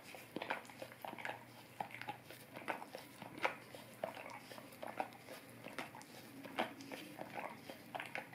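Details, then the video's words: Indoors, a Golden Retriever laps at an Orapup tongue cleaning brush, giving soft slurping clicks and tongue smacks in uneven bursts, with a few sharper wet pops. "Golden Retriever Licking Orapup Tongue Cleaning Brush"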